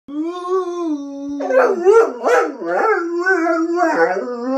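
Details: Pet dog howling: a long, steady, mid-pitched tone, then a wavering stretch that rises and falls in short yelping bends before settling back into a sustained howl.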